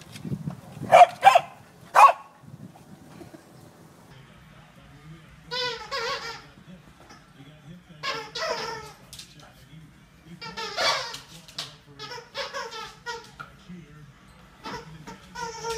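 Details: Mona Lisa, a Pembroke Corgi kept as a pet, gives bursts of drawn-out, harmonic whining yowls spaced a couple of seconds apart, with sharp clicks and thumps early on and a low background murmur.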